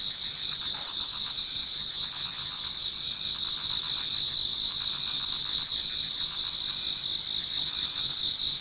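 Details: Japanese garden in autumn before dawn, many insects singing together; a constant piercing trill chorus with rapid pulsed chirping mixed in, no other sounds.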